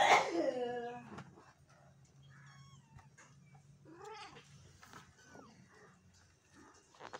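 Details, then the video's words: A loud, drawn-out, lower cat cry falls in pitch at the start, followed by quieter wavering meows and scattered short calls from the cat and black kitten, with a low room hum underneath. "Cute Cat And Kitten | Black Kitten | Meowing | Kitten Sound"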